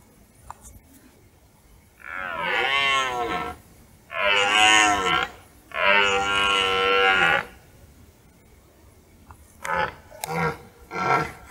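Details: Rutting red deer bull in a forest in hunting season, roaring as dusk falls; three drawn-out, rasping roars in quick succession, then quieter rustling and faint knocks toward the end.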